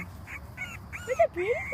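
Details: Dachshund-mix puppies from Fudgy's January 2014 litter, sired by Otis, a long-haired Dachshund, whimpering: thin squeaky whines that rise and fall, overlapping toward the end, with a faint voice in the background.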